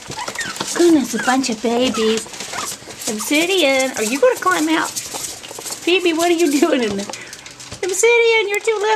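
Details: Pomeranian puppies from a litter 5.5 weeks old, recorded February 19, 2013, giving high, wavering whines and yelps in rising and falling sweeps, several overlapping, with a person cooing baby talk nearby in a small room.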